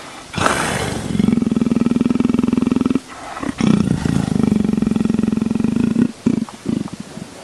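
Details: While being scratched, a leopard gives long bouts of low, evenly pulsed purring rumble, two stretches of about two seconds each, separated by a brief break with soft rustling.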